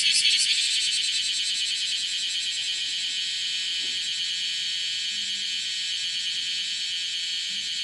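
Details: Bear cicada (Cryptotympana facialis), kumazemi, calling while walking on a room's window screen, 31 July 2018 at 10:03; loud, harsh high shrilling with rapid pulsing, strongest at the start, then a steady even drone.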